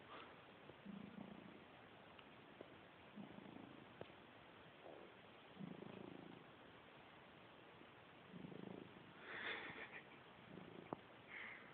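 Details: Sleeping cat snoring indoors: soft, low, rasping breaths in a slow steady rhythm, one roughly every two to three seconds, quiet against faint background hiss.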